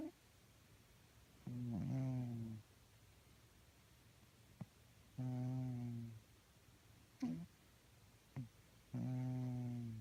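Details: Snoring from sleeping cats making weird noises, heard as evenly spaced, buzzy-tonal breaths of about a second each, roughly sixteen per minute, with small clicks and sniffs between them in a hushed indoor space.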